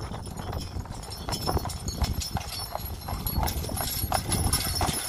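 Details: Friesian sport horse, registered, in harness while driving; hoofbeats thud in an even trotting rhythm beneath a continuous low rumble and rattle of the moving vehicle.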